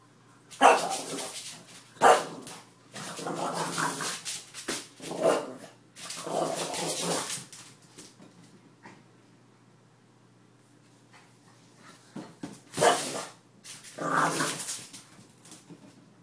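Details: French Bulldog indoors objecting to a mop during mopping, letting out rough, drawn-out grumbling barks and yowls in bursts, several in quick succession, then a quiet gap before two more loud outbursts.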